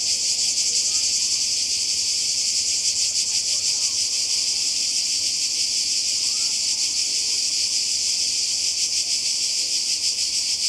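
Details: By the Croatian sea in summer 2020, cicadas keep up a steady high-pitched electric buzz with a slight throbbing pulse, while a few faint chirps and quiet murmurs sit far below.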